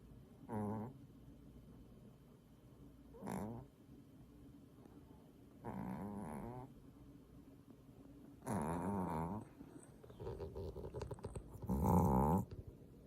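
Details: Sleeping Maltese dog snoring indoors: low, rough harmonic snorts repeated about every two and a half to three seconds, the last few louder and longer, with quiet room hum between breaths.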